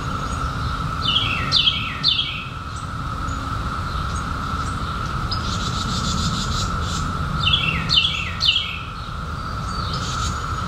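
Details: A 2021 emergence of seventeen-year periodical cicadas fills the air with an unbroken, level buzzing hum, with bursts of downward-sweeping bird chirps at the start and near the end.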